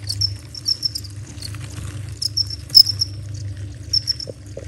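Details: Crickets chirping around 11:30 at night in a garden, heard as short, high, thin chirps in loose irregular runs over a steady low hum.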